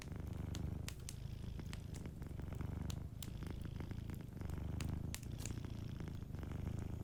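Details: Sleeping cat purring by a cozy fireplace: a steady low rumbling purr swelling and easing with each breath, a brief dip near the third second, with sharp crackles and pops of the fire scattered throughout.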